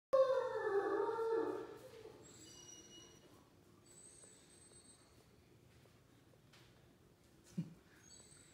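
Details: Great Dane howling along in a morning sing-along at home: a loud, drawn-out, wavering howl with rich harmonics for about two seconds, followed by high thin squeaks from a squeaky toy pressed by a second dog, and a woman talking.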